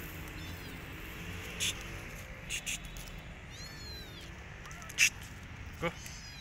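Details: Rescued kitten, alone and needing its mother, gives faint high thin meows with rising-and-falling arcs, two short calls spaced a few seconds apart, over steady background hiss with a few sharp clicks.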